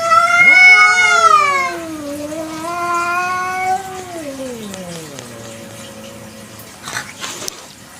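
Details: Village cat (kucing kampung) at night, giving a long drawn-out meow: a loud rising-then-falling wail over about two seconds, then a softer, lower sliding moan that trails off, with faint background noise.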